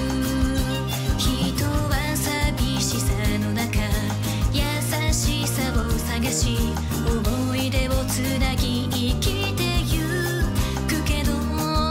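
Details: Upbeat pop music with singing and a steady beat plays throughout.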